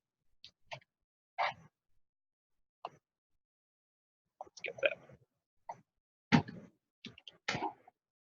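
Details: A group of white-lipped peccaries on a camera trap in the Ecuadorian Amazon munch food, giving sharp, irregular clicks amid crunchy chewing sounds and a few low grunts.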